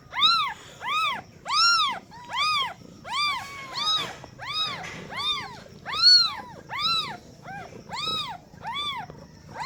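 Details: Several newborn kittens meowing right after birth to a first-time mother cat: a steady run of about thirteen high, arched mews, some overlapping, with a soft sliding whine between calls midway.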